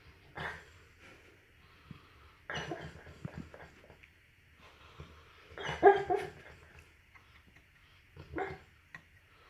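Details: Mastiff barking softly in its sleep while dreaming; four muffled, breathy bursts spaced irregularly over about nine seconds, with a low hum underneath.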